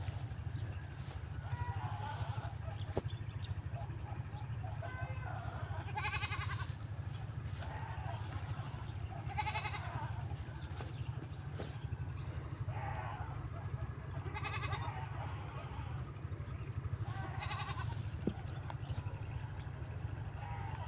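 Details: Goats herded to graze on land beside a farmed plot, kept tethered near corn: several quavering, wavering bleats scattered across the stretch, fairly faint, over a steady low rumbling background noise.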